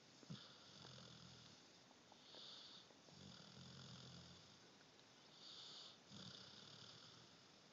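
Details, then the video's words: A sleeping puppy snores indoors: low, rasping inhalations alternate with fainter, whistly exhalations in a slow, steady breathing rhythm, about one cycle every three seconds. "Puppy snoring!"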